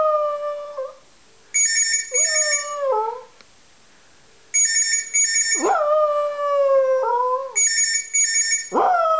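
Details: Dog howling in several sustained, wavering tones that slide downward and break off, interleaved with loud bursts of a repeating electronic telephone ringtone.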